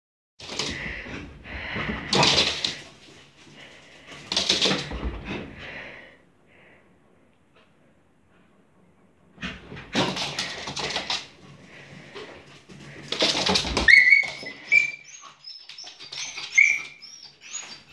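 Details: A corgi that has crashed onto a sofa-bed, and was not hurt, gives short, sharp yips, then high, thin squeaky whines over creaking, thumping furniture noise.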